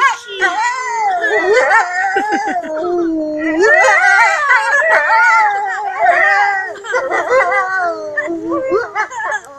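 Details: Captive wolves at Kostroma Zoo, Russia, howling as a group. Many voices overlap in rising and falling wails, with yips and quick warbling notes mixed in, forming a dense, shifting chorus that continues throughout.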